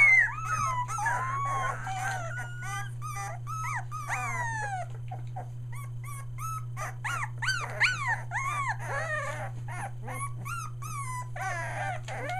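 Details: Three-week-old Australian Shepherd pups, near Mooresville, North Carolina, newly vocal, give long drawn whines that arch up and down, then a dense run of sharp yelps and squeals from several puppies, steady hum beneath.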